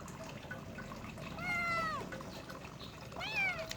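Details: Himalayan kitten, apparently during a bath, letting out two meows: a longer falling one, then a short rising-falling one, with splashing water and people talking in Indonesian.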